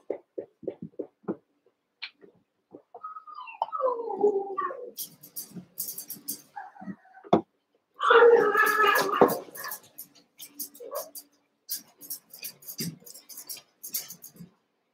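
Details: Eight seven-week-old Cavalier King Charles Spaniel puppies wrestle and play together in a pen, giving drawn-out whines, then a loud rough growling burst midway, with scattered clicks and scuffling between the sounds.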